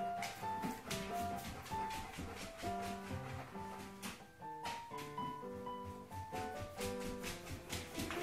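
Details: Jazzy instrumental music with piano-like notes and light tapping plays steadily throughout, with no animal voice heard.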